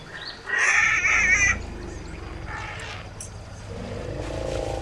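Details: A newborn African elephant struggling to stand gives a loud, harsh, wavering scream lasting about a second.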